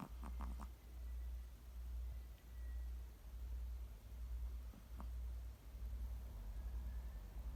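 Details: Chihuahua snoring softly, low rhythmic breathing swells of uneven strength, with a brief buzzy snort at the start and a faint one near five seconds; otherwise quiet.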